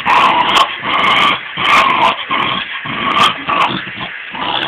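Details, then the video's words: Dog growling at its ball in short rough bursts about every second, grating and nasal with whining overtones, a few sharp clicks on top. "My dog growling at the ball"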